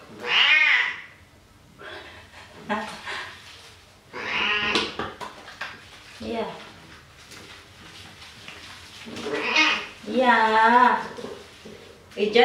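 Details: Domestic cat, a male, protesting while being washed with soap in a bathroom; loud wavering meows at the start, near five seconds and around ten seconds, with a person speaking softly between them indoors.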